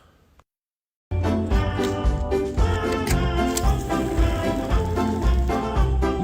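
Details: A short silence gives way to bouncy, upbeat jingle-style music with a steady beat and no animal voices.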